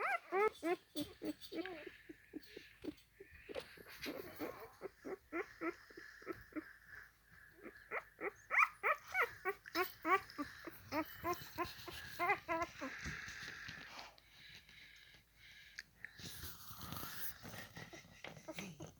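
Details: A 4-day-old Alaskan husky puppy crawling around gives a rapid run of thin, high squeaks and whimpers.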